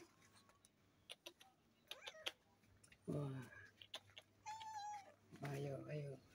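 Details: Village cats called to eat sausage, corned beef and meatballs mixed with rice; a person speaks and coaxes between several meows, one mid-pitched and steady, others shorter and hoarse, with clicks and room noise.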